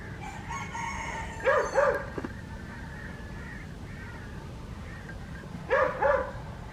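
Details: Adriano, a West Highland White Terrier, barking on a winter village morning in Hoat Wala, South Punjab, Pakistan: a pair of short sharp barks, quiet for several seconds, then another pair, with faint background noise.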